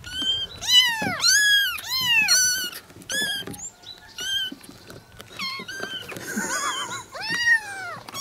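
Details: Kitten sounds meant to draw an adult cat near and soothe it: many high, arched meows packed closely together, harmonics climbing steeply, some overlapping as from several kittens, calling continuously indoors.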